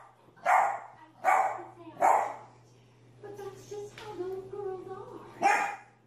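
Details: Dog in a barking compilation: three evenly spaced sharp barks, then a stretch of whiny, tonal vocalising or talking over a low electrical hum, then one final bark.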